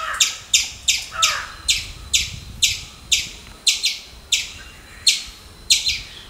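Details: Squirrel giving a rapid series of sharp, chirpy calls, about fourteen in six seconds, each a short bright burst with a clipped attack, repeated roughly every half second in a steady, insistent rhythm.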